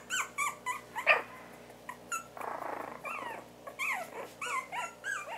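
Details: Havanese puppies at four weeks old, indoors, trade high squeaky whimpers and short bent yelps in quick bursts, with a brief rustling noise partway through.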